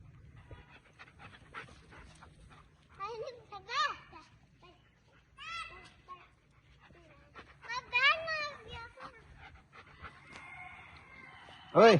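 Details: German Shepherd dog giving short high whines and yelps in scattered bursts, each wavering up and down in pitch, with people speaking Hindi and giving it commands close by, ending on one loud sharp cry.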